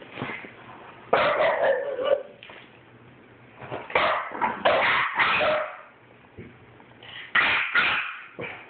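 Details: Two French Bulldogs, one a 9-week-old puppy, squabble in a disagreement with gruff, throaty barks and whiny yips in uneven bursts of about a second, with quieter grumbles filling the pauses.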